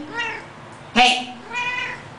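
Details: Cat talking in a small room: a harmonic meow, a loud sharp burst in the middle, then another drawn-out meow, with a person speaking back between the calls.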